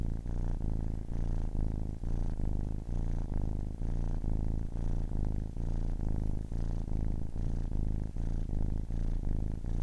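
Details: A kitten of ten weeks purrs right by the microphone, a strong low vibrating hum broken into regular breath beats, about two per second, nothing else audible.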